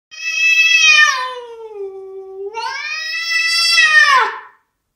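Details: Spencer, a house cat, caterwauls in offence at a neighbour cat on the outside window ledge: two long, loud wailing yowls, the first sliding down in pitch, the second rising and swelling strongly before breaking off.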